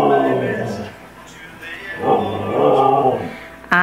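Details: Siberian Husky named Arile howling in a tantrum, as if talking back: wavering, voice-like harmonic howls rising and falling in two long phrases, a sharp rising yelp at the end.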